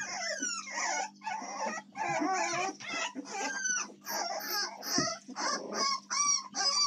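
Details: Young American Staffordshire Terrier puppies on 7 May 2024 whine in clear, high, rising and falling squeals, roughly one every second, several pups calling over each other above a low steady hum.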